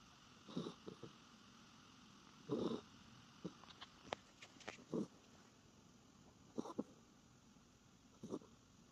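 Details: Norfolk Terrier dozing with its face turned toward the recorder. Gravelly snores recur every couple of seconds, with a cluster of sharp light clicks or taps in the middle of the passage.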